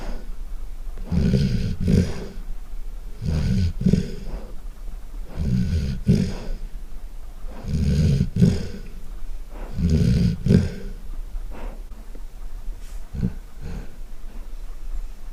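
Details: Loud snoring from a sleeping Golden Retriever indoors: deep, rumbling low snores, each about a second long, repeating roughly every two and a half seconds in a steady rhythm, softer and shorter near the end.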